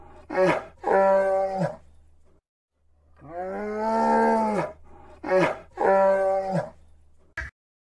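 A bear gives deep, moaning roars: two short bellows, then a long drawn-out one that rises and falls, then two more, all over a low steady hum.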